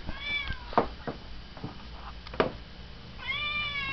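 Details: Domestic cat Pia meowing for her dinner at home in the evening, around six-thirty; a harmonic meow near the start and a longer, rising-falling meow at the end, with clicks and knocks between.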